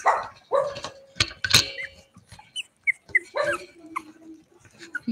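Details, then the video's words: Cavalier King Charles Spaniel puppies at play inside a house, giving sharp high yips and small barks in quick bursts, with a woman's soft voice and handling noises mixed in. "Cavalier Puppies Live: Puppies Play in the House!"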